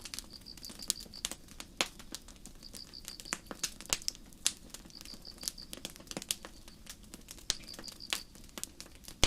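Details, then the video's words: Crickets chirping in a forest on a starry night beside a burning campfire: high, pulsed chirps in short trains about a second long recurring every few seconds, overlaid by frequent sharp snaps and crackles of the fire. "Campfire & Crickets"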